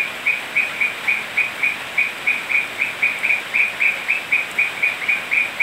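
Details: Toads croaking on a rainy night in Manu National Park, Cusco, Peru; one repeats short, high, trilled notes nearly four times a second in a steady series.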